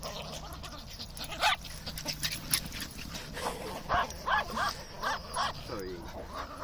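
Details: Several pet terriers, including a Maltese, Dachshund and Fox Terrier, playing, running about and nipping indoors; sharp high barks come in quick bursts roughly every half second, with a short whining yelp near the end.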